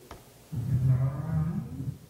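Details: A North Atlantic right whale in the western North Atlantic gives a low, moaning contact call, its way of saying "what's up" on entering an area, lifting slightly in pitch as it ends.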